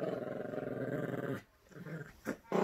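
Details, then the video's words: Yorkshire Terrier puppy in a playful tug-of-war over a squeaky toy: a steady low rattling growl for over a second, then quiet, with a brief sharp sound at the close. "Yorkie Growling and playing tug-of-war"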